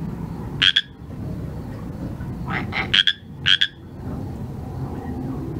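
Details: At night, a Pacific chorus frog gives a few sharp, ringing two-note croaks in a quick cluster around the middle, with an earlier single call, against a low continuous rumble.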